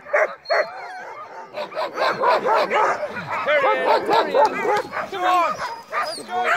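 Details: Crossbred husky mixes pulling a sled at night in heavy snow give a dense run of high yips, short barks and sliding, wavering whines, many voices overlapping without pause.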